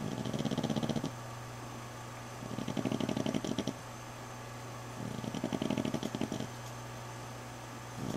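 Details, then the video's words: Female dog asleep indoors in a bedroom, healing from wounds after a fight with other dogs: rasping, buzzy snores of about a second each, repeating roughly every two and a half seconds over a steady low hum. "Snoring Dog"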